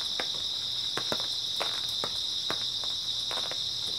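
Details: Grass insects on an early autumn night keep up a steady, high-pitched unbroken trilling chorus, while irregular sharp clicks and taps sound over it every fraction of a second.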